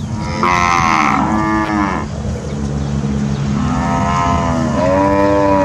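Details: Grazing Brahman heifers from a breeding herd in Sabah, raised for genetic improvement of cattle: two long, rich harmonic moos, the first about two seconds with a rising then falling tone, the second swelling near the end.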